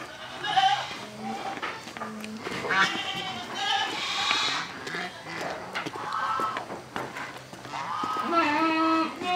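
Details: Young Boer cross goat, about four months old, a female brought out into morning sunlight, giving wavering harmonic bleats several times, with voices and other background sounds.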